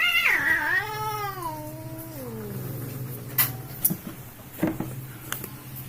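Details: Two fighting village cats: a single wail sliding downward over about two seconds, followed by quiet background hum and a few sharp knocks.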